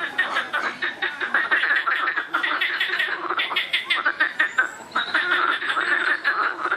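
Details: Many frogs croak together noisily, a steady wall of rapid rattles and pulsed bursts, with a faint high whistle partway through.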